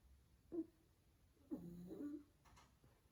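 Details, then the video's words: A sleeping pug makes a short snorting breath, then a longer rough snore about a second later, in a quiet indoor setting. "Cute Dog Sleeping & Snoring"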